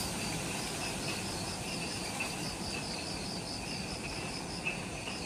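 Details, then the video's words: Just after sunset in jungle at the Mount Omoto trailhead, Ishigaki Island, Okinawa, Japan, insects produce evenly pulsed trills at two pitches above a continuous high hiss and soft low background noise. "Forest Twilight Sounds – Ishigaki Island | Relaxing Jungle Ambience with Insects"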